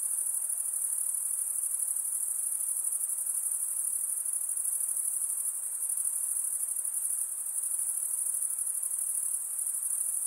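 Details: Night insects calling in a continuous, high-pitched shimmering trill that holds steady for the whole stretch without pause, with a faint hiss beneath and no other animals, voices or music.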